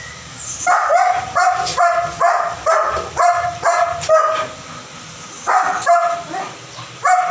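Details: German Shepherd Dog barking in a steady run of about a dozen short, high, yelping barks, roughly two per second, with a brief pause before the final few.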